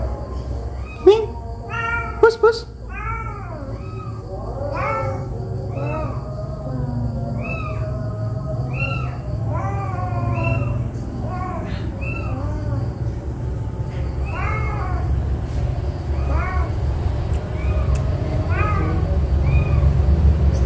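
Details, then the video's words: Domestic mother cat with four kittens, angry, moving her kittens by carrying them; many short, high, rising-falling mewing calls, some overlapping, likely from kittens and mother, over a steady low hum indoors. "MAK MEONG MARAH ANAKNYA DIGIGIT"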